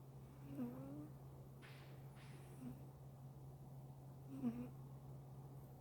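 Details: American Shorthair cat snoring while asleep indoors: soft, low voiced snores with a slight whistling tone at roughly two-second intervals, faint breathy rasps between them, over a steady low electrical hum.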